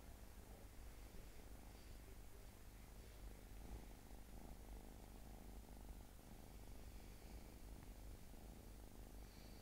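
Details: Domestic cat purring indoors: a steady, deep, continuous rumble with rhythmic low pulses throughout, no pauses and no other clear sounds.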